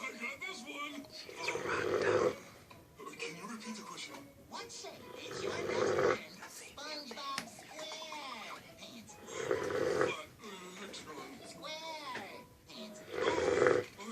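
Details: Female Cane Corso dog snoring after eating: loud rasping, breathy snores roughly every four seconds, with people talking between the snores.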